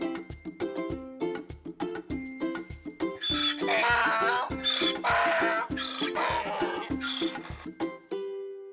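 A donkey brays loudly in a harsh, see-sawing hee-haw over light plucked music.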